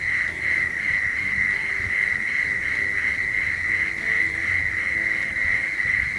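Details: Several male prairie mole crickets in Oklahoma call together near each other in a lek, the chirp rate set by temperature while the pitch stays the same; a steady, overlapping, pulsing buzz of chirps at one unchanging pitch runs throughout.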